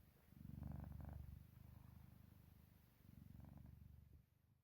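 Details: Pet cat fast asleep and snoring or purring softly indoors; deep pulsing rumble rises in a strong opening bout, fades to a quieter stretch, then swells again before tapering off.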